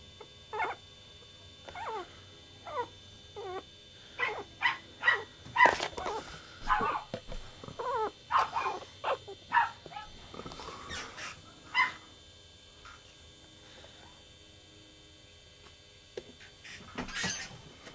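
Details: Chihuahua puppies from the litter of Goofy Rodriguez jr., Coconut and Chichi Rod, in Montebello, California, give high, wavering whimpers and squealing yelps in quick bursts, each call bending up then down, with pauses and a quieter stretch near the end.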